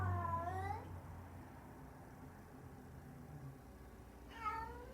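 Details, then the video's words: Female pet cat filmed on a cat cam on 11/11/20, making a crying noise: one long, drawn-out wavering cry at the start and a shorter descending cry near the end, with a steady low hum between. "My cat is making a crying noise."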